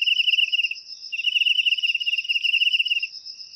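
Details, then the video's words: Cricket chirp meant to scare away rats in the home: two rapid pulsed trills separated by a brief gap, above a continuous high steady ringing. "Suara Jangkrik Untuk Mengusir Tikus"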